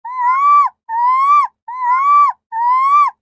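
A ring-tailed lemur calls in a series of clear, mewing wails, each slightly rising before falling away at the end. The four calls come in a steady rhythm, less than a second apart, with nothing else audible.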